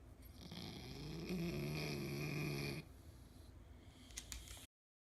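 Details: Elderly pug in need of care, asleep with its eyes wide open, snoring: one long rasping, droning snore lasting nearly three seconds, followed by quieter breathing and a few soft clicks before silence.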